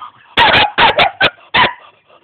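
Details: Rapid barking from a young German Shepherd dog in Jamaica: a doubled bark, then two quick barks and a final one, loud and rough, with a murmur of voices before the first.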